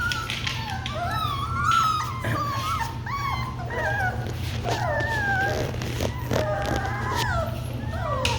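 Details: Several Labradoodle puppies of the Kiwi litter whining and whimpering together: overlapping high, wavering cries that rise and fall, some sliding upward into short howls, continuing throughout over a steady low hum.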